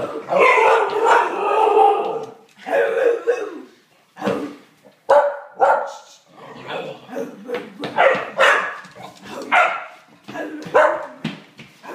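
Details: Pet dog excited about her toy and wanting to play, giving a run of short harmonic yips and barks in irregular bursts, roughly two dozen a minute, with a person's voice briefly nearby.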